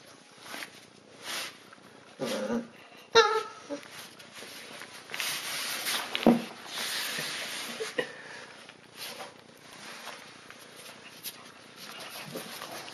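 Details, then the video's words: Siberian Husky puppies playing tug of war indoors over a monkey toy; short rough growly bursts and scuffling, with sharp knocks and a few brief yelps, irregular and broken by quieter pauses. "Husky Puppy Tug o War"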